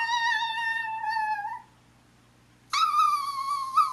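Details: A pet Chihuahua in a small room asking her sister to play: a long, high, steady whine of about two seconds, a short silence, then another bright, slightly wavering whine.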